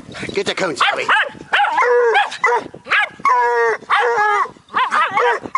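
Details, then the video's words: Bluetick Coonhound pup barking at a raccoon alongside a Jack Russell terrier: loud, ringing barks with rising and falling pitch, packed closely in bursts, with a man's voice urging the dogs on between them. "Bluetick pup and jack russel bark at coon"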